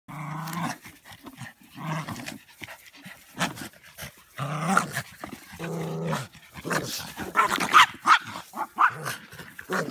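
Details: Border Terrier playing excitedly indoors, a rough low growling with bursts of snarly noise that come fast and unevenly, mixed with rustling and shaking sounds.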